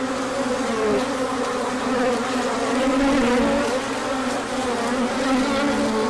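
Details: Crowded bee orientation flight on a sunny day following chilly weather, 24 March 2024; a steady low wingbeat drone layered with shifting, wavering tones as bees circle near, no other sounds standing out.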